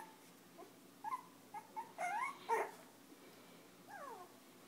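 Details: Five-week-old Chinese Crested puppies, fostered with their mother by Almost Home No Kill Animal Rescue, playing and nursing: a run of high, sliding whines and squeals, several sweeping downward, with short yelps in between over a quiet room.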